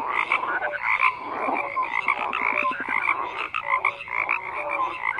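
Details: Dense croaking from a group of frogs, with a short rapid rattling burst partway through amid overlapping tonal notes and raspy calls.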